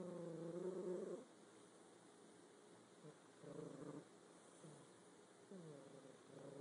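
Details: Sleeping house cat snoring with grating, low buzzy breaths, each lasting around a second, returning at a slow, fairly even rhythm with near silence between them.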